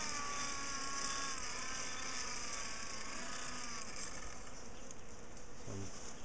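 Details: Bees from a large colony being split and moved out of a top bar hive in a garden, sugar powder used instead of smoke; steady dense buzzing hum fills the whole stretch, with faint voices and brief low thumps near the end.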